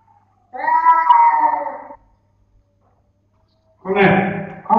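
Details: Intact nine-month-old male cats fighting in a cat room, caught on a web camera: a sustained, slightly wavering yowl of about one and a half seconds, a silent pause, then a harsher, lower growling yowl.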